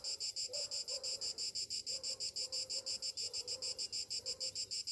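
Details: Cicadas sing on a summer morning, a shrill, high buzz pulsing steadily about five times a second.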